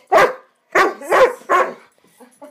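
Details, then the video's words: A young Swiss Mountain Dog kept as a pet, caught mid "bad dog run", gives four loud, rough barks in quick succession. A few faint, softer noises trail off after them. "Swiss Mountain Dog Epic bad dog run"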